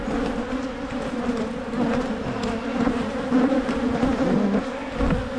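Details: Steady, even drone of honey bees around Michigan hives during splitting to head off swarming, a dense low hum with faint overtones and only slight swells in loudness.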